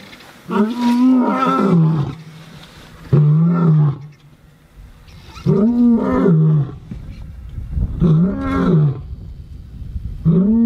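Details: Male lions in Chobe National Park, Botswana, two young males challenging two older males in a fight; loud harmonic bellowing roars, each about a second long, rising then falling, repeated every two to three seconds with quiet gaps between.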